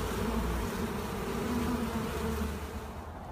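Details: Honey bees swarming on a monastery apiary produce a brief, close droning buzz with wavering low tones, fading slightly at the end.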